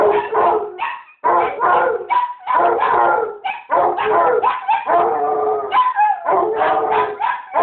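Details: A basset hound and a chihuahua barking together: dense, overlapping bursts of bays and sharper barks in rapid, irregular runs, with a brief pause near the start and howl-like drawn-out notes.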